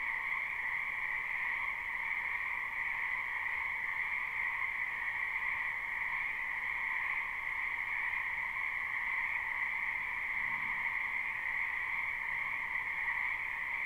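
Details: Live, unlooped recording of numerous frogs croaking in a spring wetland: a thick, seamless chorus drones steadily on two pitches, its individual calls merged into one sustained shimmer, with no other sounds.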